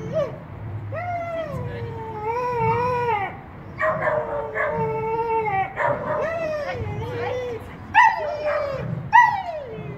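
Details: Buddy, a two-year-old Miniature Australian Shepherd, during winter agility training on a sand ground in late December 2016, giving long, drawn-out whining cries that waver and slide downward, broken by sharper yelps near the end, over low rumbling background noise.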